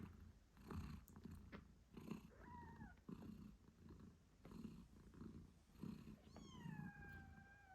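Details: British Shorthair mother cat purring loudly while nursing her 8-day-old kittens indoors; steady rhythmic purr pulses throughout, with two high, thin kitten mews, one falling squeak near the middle and another at the end.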